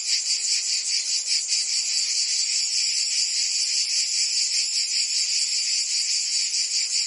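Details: Provence cicadas on a summer day in France: a loud, high, sizzling buzz with rapid rhythmic throbbing and no breaks.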